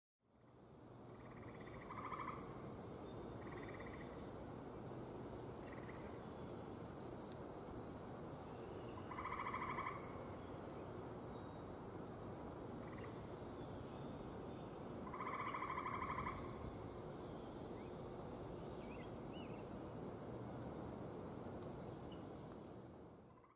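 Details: Gray tree frog in Michigan, the first heard this year, giving short trilled calls: about two seconds apart, then longer louder trills near ten and sixteen seconds, over steady broadband background noise with faint high chirps.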